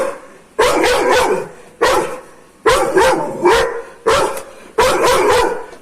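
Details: Aggressive Doberman barking steadily, five heavy, harsh barks each about a second apart, some doubled, with strong mid-pitched tone and no other sounds.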